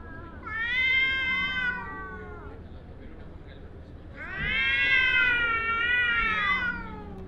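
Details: Angry cat yowling in two long, drawn-out wails, each rising and then sagging, harsh and harmonic-rich, separated by a short pause with low background noise.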